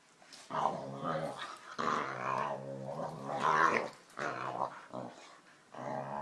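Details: Jealous dog wanting attention, grumbling and growling in drawn-out, voice-like bursts with short pauses between them, sometimes rising in pitch; a person's voice follows.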